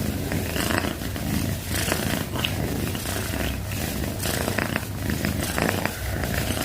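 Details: Pet cat purring, a low continuous buzzing rumble with breath-paced surges, close and loud throughout.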